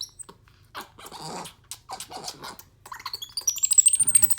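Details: Capuchin monkey Ohana, a pet, playfully biting, slapping and hugging his owner while excited and happy. Scattered soft clicks and noisy bursts, then a run of rapid, very high, thin squeaks that rise in pitch toward the end.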